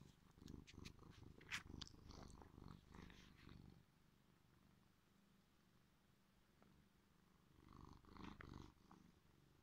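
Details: Sleepy pet cat purring just after being woken: a steady, fast, low rumbling purr with rhythmic pulses, stronger over the first four seconds, fading quieter, then swelling again near the end, with faint snuffly breaths.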